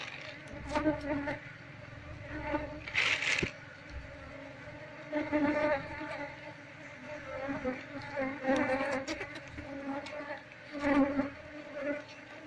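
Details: Wild Apis cerana honey bee colony being moved from a window shutter into a hive box: a steady, low droning hum with surges and fades, plus scraping and handling noises.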